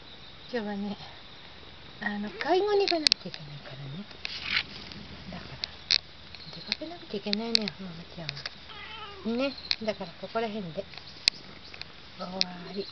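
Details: Mike, a cat that has come by after a long absence, pleads with her owner not to go out. She gives a string of drawn-out, arching meows that rise and fall, some in quick pairs, spread across the recording, with a few sharp clicks between them.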